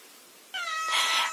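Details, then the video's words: Domestic cat indoors nagging its owner while laundry is gathered and folded; one loud, drawn-out meow with a sharp onset and steady, bright harmonics, swelling and then easing off slightly at the end. "빨래개는데 계속 잔소리하는 고양이"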